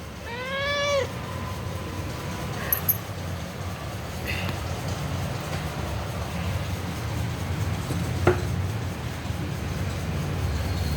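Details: A domestic cat in a back-and-forth conversation with a person: one clear rising-then-falling meow lasting about a second at the start, followed by a steady low background hum and a few faint clicks.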